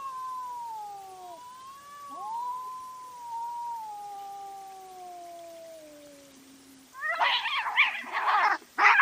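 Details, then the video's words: Cats fighting at night on a trail camera: long wavering tonal yowls drift slowly downward for about seven seconds, then harsh broadband spitting hisses burst out in rapid bursts near the end. "Cat Fight at Night & Call Weird Sounds"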